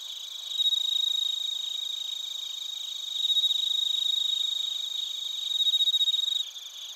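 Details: Crickets and bell crickets singing in Narita, Chiba Prefecture, Japan, recorded on a TASCAM Portacapture X8: a louder, clear pulsed bell-like trill swelling in three bursts over a steady high insect drone, ending abruptly.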